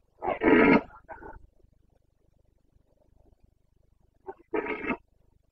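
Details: Rutting Carpathian red deer stag bellowing in the Bucovina mountains, 29 September 2022: a strong harsh roar and a brief follow-on grunt, about three seconds of near silence, then a short hoarse call and another powerful roar.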